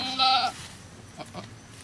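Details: A single strong, harmonic goat bleat lasting about a quarter second, heard as a goat gives birth at a cow farm, followed by quiet shuffling and faint knocks.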